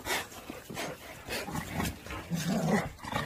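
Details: Pungsan dogs at a Pungsan dog kennel, a dog from outside being merged into the group as rank is sorted out; rough, low growling and muffled barks over a noisy background.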